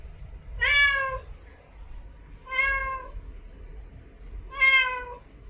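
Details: In heat, a female cat gives three long, steady, plaintive meows roughly every two seconds, each clear and harmonic-rich, calling for a mate over a faint low hum.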